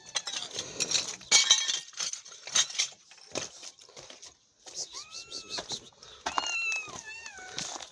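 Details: Mother cat and her kitten found on the street, kitten recovering from illness; several rising-falling meows in the second half, preceded by clattering and rustling noises and a short gap of quiet.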